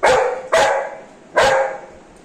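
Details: Golden Retriever female, excited and happy after her bath, lets out three loud sharp barks, the first two close together and the third after a short gap, fading into room quiet.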